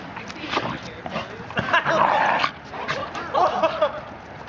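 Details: German Shepherd Achilles, 12 months old, at play with 14-month-old Shiba Inu Hilo; brief whiny yips and whimpers come in two bursts over scuffling and thumps, with a human voice and room noise around them.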